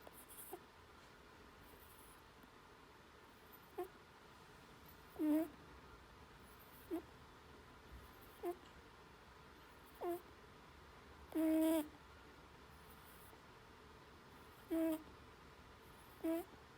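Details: Lulu, a sleeping Netherland Dwarf rabbit, snoring. She gives short, soft squeaky snorts with a nasal tone, about nine of them at irregular gaps of one to three seconds, in a quiet room.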